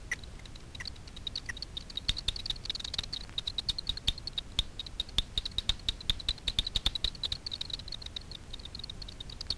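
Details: Daubenton's bats hunting insects on the surface of Miedwie lake in north-west Poland after dark, heard via a frequency division bat detector as irregular trains of sharp clicks, sometimes quickening into short rattling bursts, with low rumbling noise beneath.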